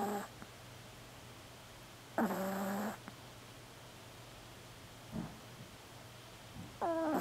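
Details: Marco, a tiny black female Pomeranian, snores while sleeping indoors. Harmonic, nasal snore bursts recur at the start, near two seconds and near seven seconds, with a steady low hum and quiet stretches between.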